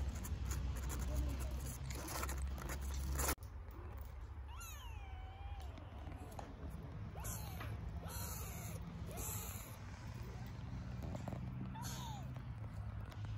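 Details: Hungry stray kittens in Istanbul calling to their mother cat for milk: a run of thin, high, wavering meows that rise and fall, about six in ten seconds, over rustling and a low steady hum.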